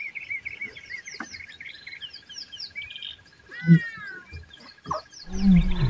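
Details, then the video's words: In Kruger National Park, a lioness and her cub give low, throaty contact calls to summon the cub's playful siblings from the bushes, among busy chirping birds. "Lion Cub Helps Mom Call for Siblings"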